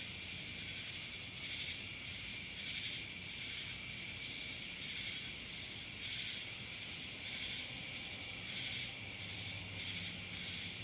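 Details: Droning cicadas recorded in Dallas, Georgia; the high hissing buzz never stops, pulsing gently in waves roughly once a second, with a piercing steady tone riding over the chorus.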